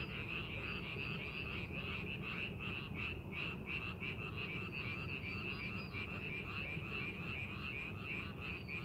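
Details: In a paddy readied for the farming season, frogs give a continuous chorus of short raspy croaks repeated quickly and unevenly, layered over a low rumbling background.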